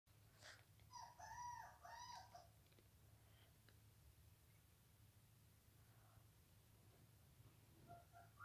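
A Bull Terrier gives a brief run of tonal, wavering whine-like vocal sounds over a steady low hum.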